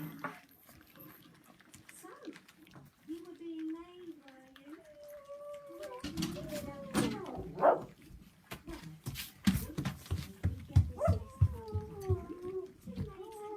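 Rottweiler puppies whine in thin, wavering, high-pitched tones, with bumps and knocks in the background.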